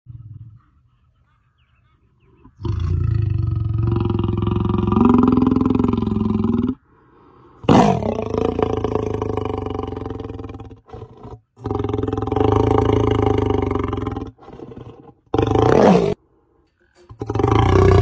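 A lion gives long, deep, rumbling roars separated by brief pauses.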